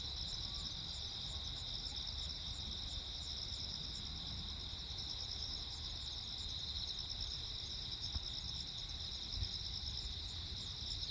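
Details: Crickets on Jeju Island, South Korea, recorded 15 August 2024 during a lightning storm: several overlapping high, pulsed chirping trains form steady shimmering bands, over a constant low rumbling background noise.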